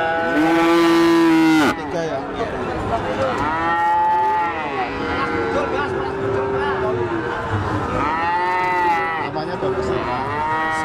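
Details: Limousin cattle at a busy cattle market, mooing. A loud harmonic bellow opens and lasts nearly two seconds. Longer drawn, bending moos follow around four and eight to nine seconds, with people talking and crowd noise throughout.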